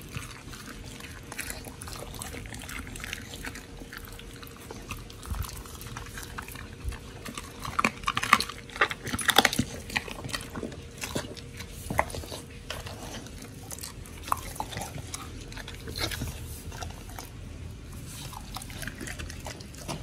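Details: Pit bulls Oli and Nommy eating raw food, a Premium RAW prey-model meal with giant white snapper, recorded October 21, 2023. Irregular wet crunches and soft bites, louder bursts around the middle, over steady low room hum.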